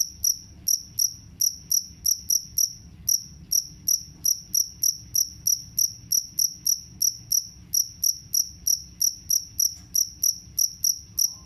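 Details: Rapid high-pitched chirps from a jangkrik kalung cricket, a sound described as scaring off rats, repeated around three times a second with slightly uneven spacing and a short break early on; soft background hum.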